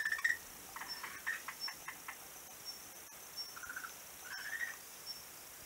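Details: Frog calling on a beach, recorded 11 March 2017: short rising whistled notes near the middle of the range, mixed with quick clicking pulses, some brief louder bursts, over a steady high hiss.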